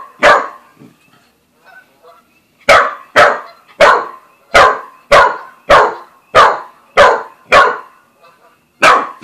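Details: Australian Shepherd x Corgi mix named Buzz, new to the family, meeting Bread Bandit the cat; loud, sharp barks repeated roughly every half second in a steady series after a brief opening yelp.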